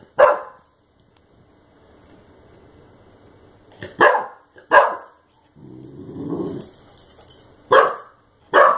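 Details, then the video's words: Clumber Spaniel puppy confronting a compressed air can barks once, falls quiet for several seconds, then lets out two close barks, a low growl, and two more sharp barks. "Clumber Spaniel Puppy vs Compressed Air Can"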